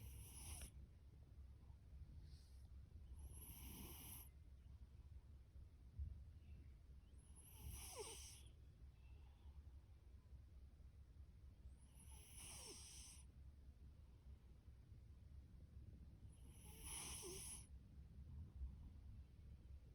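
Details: Fasu, a male orange tabby cat born October 2019 and taken in from a rescue shelter, snores loudly in his sleep. Rasping, hissy breaths come about every four and a half seconds over a constant low rumble.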